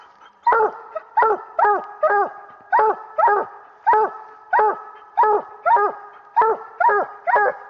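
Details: Year-old coonhound pup during a coon hunt with a raccoon treed, giving a steady run of loud, short, rising-falling barks, each with a bright harmonic stack, spaced roughly every half to one second across the recording.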